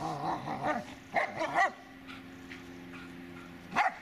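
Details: Dobermann Magmar Von Der Burgstätte: a short cluster of two or three quick barks, then quiet with a steady background hum, ending in one last isolated bark.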